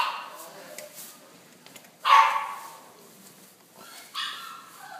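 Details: A beige Chow Chow gives a sharp bark, then a shorter, higher yip a couple of seconds later.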